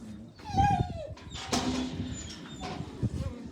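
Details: Jack Russell Terrier giving a high, tonal whine that slides downward over half a second, then softer whimpering noises, with a person's voice talking and calling over the dog during a live stream.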